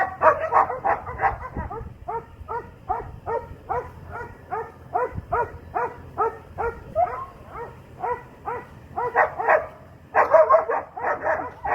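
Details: A young Doberman called Asmar heeling with a 14-year-old handler keeps up a continuous chain of short, evenly spaced barks and yips, louder, rougher barks opening and closing the run.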